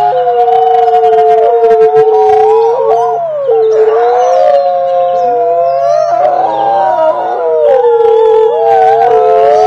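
Several wolves howl together, long smooth voices sliding up and down and weaving over one another.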